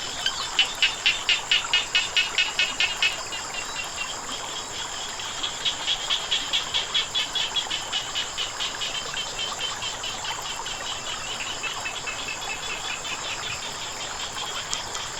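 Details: Frogs calling beside flowing water: rapid trains of sharp, clicking croaks, about five per second, run for three seconds, pause, then return in a longer, steadily fading series over a constant hiss of running water.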